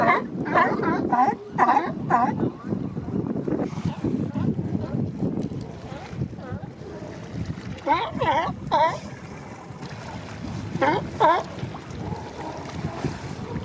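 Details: Males of a Monterey Bay sea lion colony, establishing mating territories at the Coast Guard pier, give short runs of hoarse, honking barks in separate bursts, separated by gaps filled with wind and water noise.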